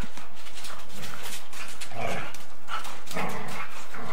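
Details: Golden Retriever and Samoyed playing bitey face and chasing each other, on an old 8mm tape. Rough, noisy growling and scuffling bursts come in quick succession over a steady tape hiss.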